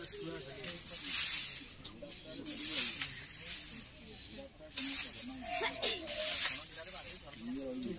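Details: Indian (spectacled) cobra, highly venomous, rescued from a village near Balichandrapur, Jajpur, Odisha, India; sharp, breathy hisses burst out roughly every second or two while men talk nearby outdoors.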